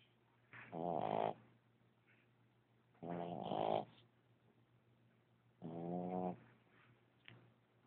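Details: Sleeping puppy snoring loud enough to wake himself up: three loud, rasping, harmonic snores, each about a second long and spaced roughly two and a half seconds apart, with near silence between them.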